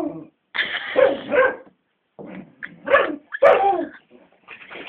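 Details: Bella, a pet beagle, goes mad barking at Cassie, a grumpy 12-year-old black labrador who won't play, filmed on a phone camera: a long harsh bay lasting about a second, then shorter rough barks in quick bursts.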